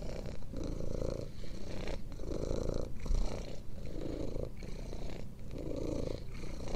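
A cat purrs steadily, a deep rumbling pulse that swells and fades with each breath.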